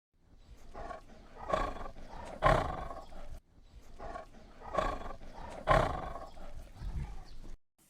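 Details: Tiger: a rasping, swelling roar that builds to a loud peak, then repeats almost identically after a short break, each lasting about three seconds.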